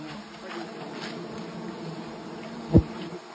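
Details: Honey bees at a natural hive being taken in a village, giving a steady low droning hum throughout, with a sharp knock near the end and people talking close by.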